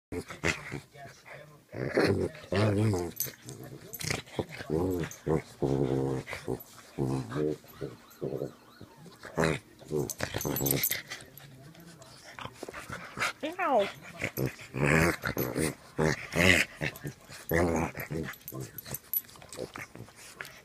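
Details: Boston terrier and frenchton playing together indoors, with rough growls and whimpering yips in bursts throughout, overlapped by frequent human speech.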